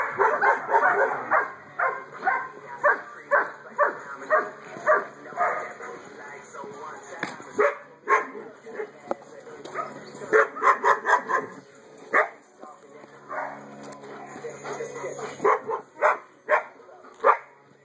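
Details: Female German Shepherd, two years old, black and tan, gives repeated sharp barks in clustered runs, with quieter stretches between volleys and a faint voice and low hum in the background.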